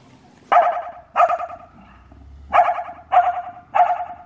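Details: Reese, a dog, barking at cars: five loud, sharp barks in two pairs and a closing single, with short pauses between, over a low rumble of passing traffic.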